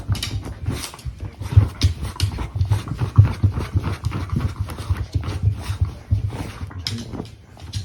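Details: Beagle digging hard indoors in a small room: a steady run of rapid, dull scratching and thumping bursts, several per second, with soft panting breaths between them.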